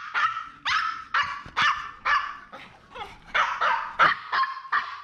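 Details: Maltese dogs from a family of three, male Jamong, female Fanta and their daughter Blue; about ten sharp, high yapping barks in quick, uneven succession, roughly every half second.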